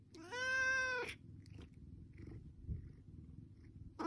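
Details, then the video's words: A domestic cat asking for food gives one long, loud, harmonic-rich meow lasting under a second, steady in pitch, followed by a quiet low background rumble and small clicks. "Kucing minta Makan"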